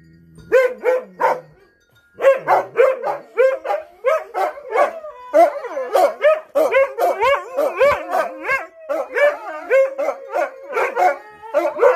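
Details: Husky singing, a run of short wavering howls and yips with harmonics, rising and falling between syllables, repeated rapidly after a brief pause near the start; no other sounds stand out.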